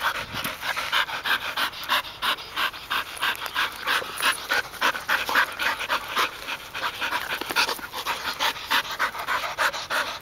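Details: Golden Retriever, one of three sisters, including a one-year-old, panting during retrieving exercise on 2010-9-29. Fast, breathy huffs repeat steadily at roughly three per second throughout.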